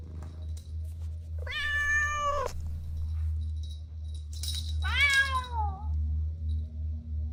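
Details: Young cats playing on the grass: one long, level meow, then after a pause a second meow that starts high and glides downward, both loud over a steady low hum.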